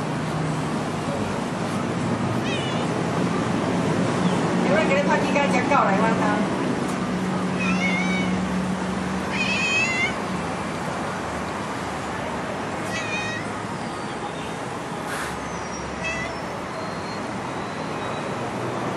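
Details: Playful stray cat following a person, giving a few short high meows among steady background rumble of traffic and wind, with scattered chirpy calls spread over the recording.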